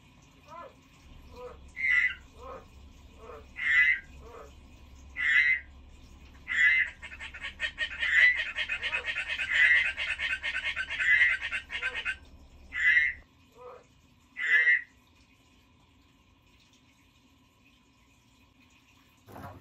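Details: Croaks from a pet frog, short rasping notes repeated about every one and a half seconds, with a longer buzzing pulsed trill in the middle before the calls stop and near silence follows.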